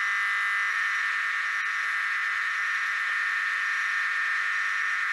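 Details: Tosena albata cicada producing a loud, continuous droning buzz that stays steady and even throughout, with no pauses.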